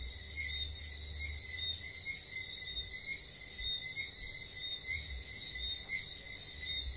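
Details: Whistling frogs give short, high, repeated whistled notes over a steady insect chorus at night in St. Lucia.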